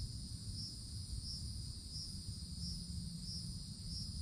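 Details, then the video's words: Cicadas calling high in summer forest treetops: a continuous shrill drone pulses louder about every two-thirds of a second, with a fainter higher hiss above and a deep rumbling background. "Forest Canopy in the Summertime With Cicadas Sounds"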